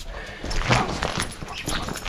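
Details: German Shepherd Major in the morning after breakfast with fresh water set out, giving a short whining yelp near the start, then softer scattered noises and light background hiss.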